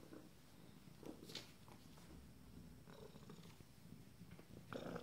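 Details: Purring from 26-day-old Abyssinian kittens of a first litter: a continuous low vibrating rumble, broken by a few small clicks and rustles of movement, louder bursts near the end.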